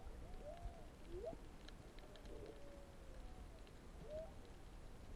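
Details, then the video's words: Humpback whale song heard underwater off Ulua Beach, Maui, in March 2020 while diving among goatfish: soft drawn-out moans and upswept whistles rising and arching, beneath a constant hiss of water and scattered clicks. "Whale Songs!"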